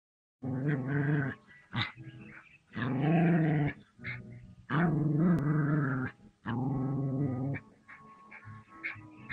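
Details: Dog confronting a cobra. Deep, rough growls come in four long sustained bursts of about a second or more each, separated by quieter rumbling and short snarls.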